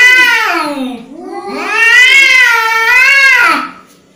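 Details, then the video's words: Angry domestic cat giving one long, drawn-out yowl of about three and a half seconds, sliding down, then rising and holding a wavering, nasal, moaning tone before fading away, in a quiet indoor room. "Angry Cat sound"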